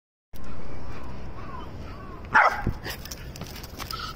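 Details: A Jack Russell Terrier that greets ducks in an irrigation canal every morning to build a friendship lets out one sharp, loud bark after about two seconds of near quiet, followed by softer rustling and scattered noises.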